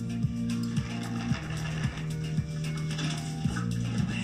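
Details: Low, steady instrumental music with plucked notes and no animal sounds.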